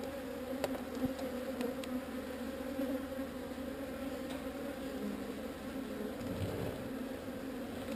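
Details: Honey bees from a swarm being relocated away from an undesired spot, producing a steady, dense droning hum with a low fundamental and a clear overtone, continuous throughout, with a few faint clicks and knocks.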